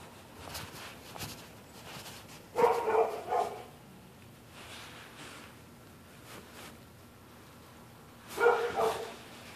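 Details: Neighbourhood dog barking at night at someone on the public sidewalk; two separate bursts of a few harsh barks, several seconds apart, over quiet background hum.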